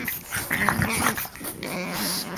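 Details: Three French bulldogs play-fight and bite in a three-on-one tussle, snorting and grunting in rough, breathy bursts with low growly undertones.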